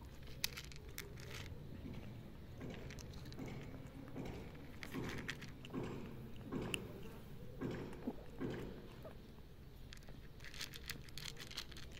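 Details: Quiet irregular rustling and soft tapping noises over a low background hum, with no clear animal call.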